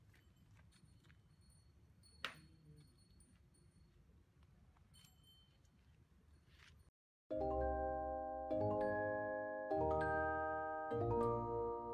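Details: Quiet low room rumble with a single sharp click gives way after a short silence to chiming mallet-percussion music.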